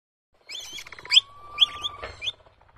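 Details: Capybara (Hydrochoerus hydrochaeris), squeaks.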